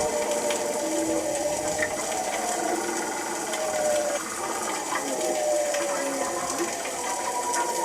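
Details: A group of bearded seals, an Arctic species, recorded by a passive hydrophone in midwinter, chorus in long, eerie, gliding whistles and trills that overlap under a constant underwater hiss.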